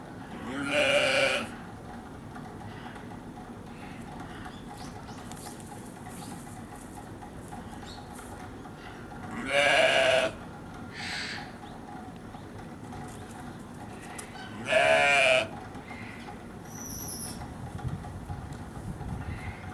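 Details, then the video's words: Baby sheep at Hamura Zoo, Japan, bleating three times, about five seconds apart, each call a strong, buzzy, harmonic-rich bleat of roughly one second, with a brief high squeak near the end and a quiet background. "ヒツジの赤ちゃんが可愛い❤ Cutest lamb"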